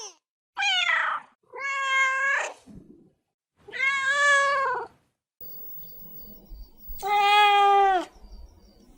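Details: Domestic cat giving four long, drawn-out meows about a second each, loud and harmonic with a slight rise and fall, separated by short pauses; faint background clatter between calls.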